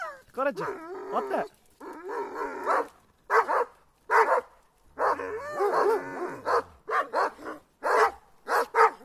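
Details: Attacking Kangal dogs barking and whining in dense overlapping bursts, harsh barks interleaved with rising and falling whimpers, voices faintly behind.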